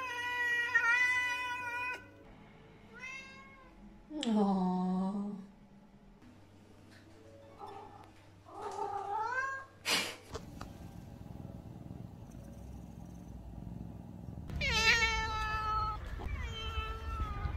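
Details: A male Lynx point Siamese cat, a vocal breed, gives several loud, drawn-out meows, some rising and falling in a wavering wail.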